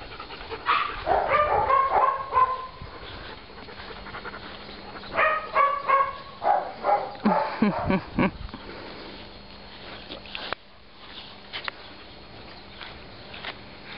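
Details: Barking from Byron, a rescued male Labrador and Flat Coated Retriever mix puppy aged around 8-10 months, in Tuscany: three bouts of rapid, tonal barks around the second, fifth and seventh seconds, then quiet background with a faint steady hum.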